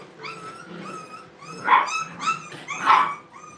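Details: Brittany puppies at play in a training kennel, giving a run of high, whiny yelps and short yips, several rising then falling, bunched closer together and louder toward the end.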